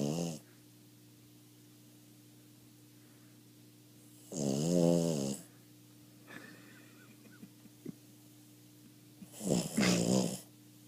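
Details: Boston Terrier named Sulley, half asleep indoors, snoring in two loud rasping breaths several seconds apart, each a harmonic-rich rumbling snore, with a quiet steady hum between them.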